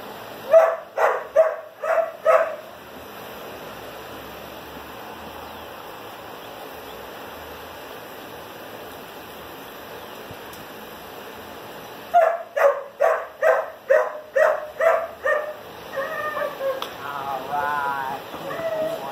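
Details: Sarge, a one-and-a-half-year-old German Shepherd completing four weeks of obedience training, gives two series of sharp, evenly spaced barks, about four then eight in quick succession, separated by a long quiet gap; a human voice follows at the end.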